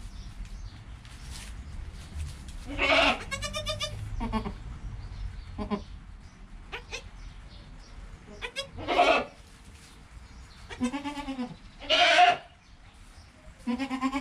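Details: Within an hour of birth, goat kid Joel beside his mother Penny: short, nasal bleats in scattered bursts over fourteen seconds, some quavering, with quiet shuffling between calls.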